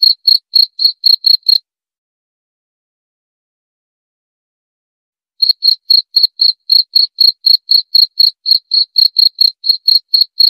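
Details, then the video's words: Cricket sound meant to calm the mind before sleep and deter rats: bright high chirps at about four per second, breaking off into a silent gap of several seconds before resuming steadily. "Suara Jangkrik"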